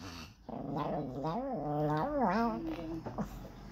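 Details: Chihuahua scolded indoors for peeing answers with a wavering, yodel-like grumble whose pitch rises and falls in several arches over three seconds.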